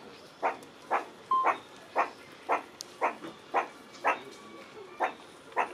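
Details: Meerkat giving a surprising call: a steady series of short, hoarse, bark-like chirps, about two per second, evenly spaced over a quiet background.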